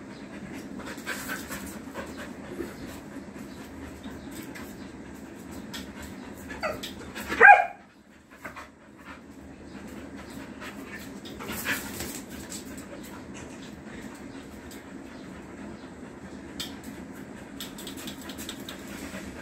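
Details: A female Rottweiler at play gives one short, sharp, yelping bark that rises then breaks off, amid soft panting, faint rustles and quiet room noise.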